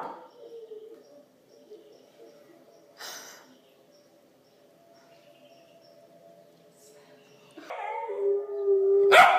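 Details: A female Pembroke Welsh Corgi puppy howls along with wolf howls played on a computer: long, steady, wavering mid-pitched howls that grow louder and strained near the end, with a few brief noisy bumps.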